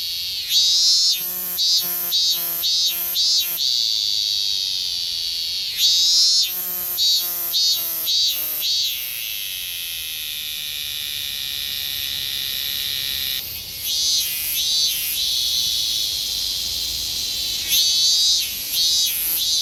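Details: Higurashi cicada singing in summer in Japan: bursts of rapid, metallic pulsed trills lasting a few seconds, separated by quieter stretches, over a steady high-pitched insect hiss.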